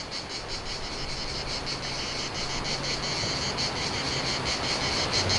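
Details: On a hot, splendid day a cicada keeps calling without stopping, a loud, continuous high-pitched buzz pulsing rapidly about three times a second, with a faint low hum underneath.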